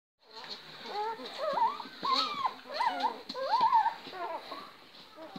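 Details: Great Dane household with a champion mother of 11 puppies who loves eating watermelon; high, whining squeals rise and fall in short overlapping bursts through most of five seconds, with a faint hiss above.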